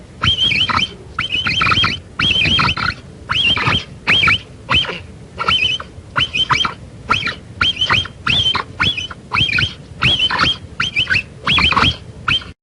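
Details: Long series of capybara calls: shrill, wavering whistles fused with raspy noise, repeated in short bursts about every half second, with brief quiet gaps throughout.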